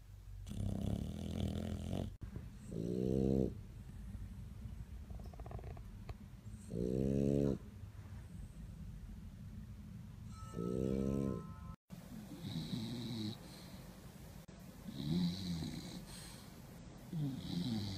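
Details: Sleeping bulldogs snoring at My Second Home in Dubai, October 2015, filmed for a snoring competition: harsh rasping inhalations about a second long, repeated every four seconds, with a cut to different snores partway through.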